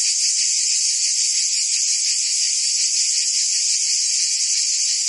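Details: In the French region of Provence, cicadas fill a summer scene with a constant high buzzing whine, evenly sustained with faint rhythmic flutter.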